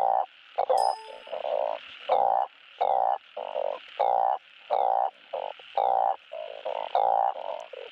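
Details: Asian painted frogs calling for mates, a recording played to encourage breeding at a frog farm: loud, blocky nasal croaks repeated about every half second, several callers overlapping, with a brief metallic ding near the start.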